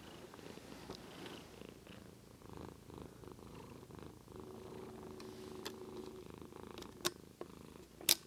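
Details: White domestic cat purring indoors, recorded with a Lumix GH2 camera; a soft, steady low rumble runs throughout, with sharp clicks and a few brief louder knocks near the end.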